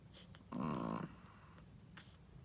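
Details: Sleeping Shih Tzu mother, a first-time mother, gives one short, loud, rasping snore indoors, followed by faint breathing.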